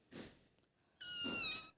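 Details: Kitten meowing to call its owner, indoors; after soft murmuring from a woman, one high, thin, steady meow lasting under a second, pure and tonal with a slight downward drift at the end.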